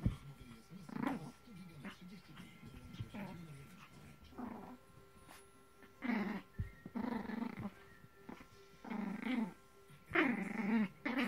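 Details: Maltese dogs tugging on a toy together, giving repeated snarling growls in short harsh bursts, several louder ones clustered toward the end, separated by quieter breathy gaps in a small indoor room.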